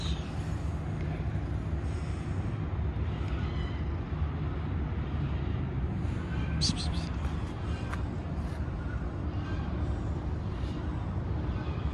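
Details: Outdoor street ambience with a continuous traffic rumble, faint voices and a few sharp clicks, with no animal calls heard.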